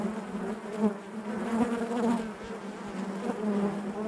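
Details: Inside a honey bee hive, a continuous droning buzz of many bees, low and even, with small rises in loudness and a few nearer wing whirs standing out over the mass hum.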